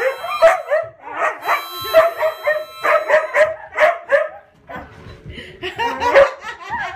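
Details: Young pet huskies singing along with harmonica music, a choppy run of yelping howls with quick rising and falling notes, a steady sustained harmonica tone underneath, a brief lull near five seconds, then more howling.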